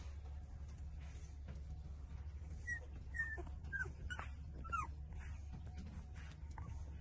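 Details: Puppies 18 days old suckling milk from their mother dog, trembling as they feed; a few thin, high whimpers and squeaks rise and fall between 2.5 and 5 seconds over a steady low hum.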